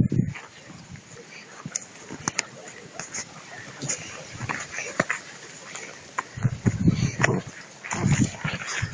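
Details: Two-month-old puppies worrying a rag as prey drive training. Low growly bursts come near the start and again in the last few seconds, with clicks and rustles of play and Spanish voices in between.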